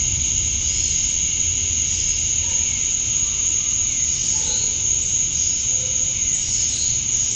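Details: Cicadas on a summer night at dusk in Georgia, USA, males chirping to attract females: constant shrill high drone with a rasping lower band, unchanging, faint soft chirps scattered beneath.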